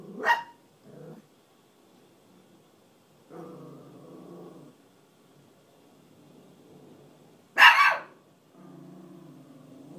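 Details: Pet Chihuahua, scared of a furry hat and trying to frighten it away, gives a sharp bark, a short second yap, then low rumbling growls broken by one loud harsh bark and more growling.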